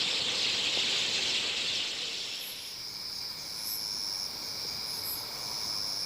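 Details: Grass insects chirping, played back in a sound artwork recreating natural landscapes around Busan, Korea: a broad rushing hiss fades after two seconds, leaving steady, shrill, continuous high trills with faint, very high pulses recurring.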